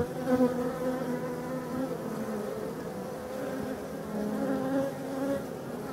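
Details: European dark bees in a Voirnot hive from abandoned forest hives, being readied for winter on 30 October 2021; a steady, low, droning hum with layered tones, swelling slightly at the start and again near the end.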